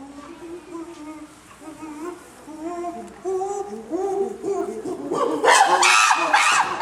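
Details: Common chimpanzees at Maruyama Zoo, recorded 22 August 2010, making varied cheerful voices while romping together: a series of hooted calls rising steadily in pitch and loudness, breaking into loud harsh screams after about five seconds.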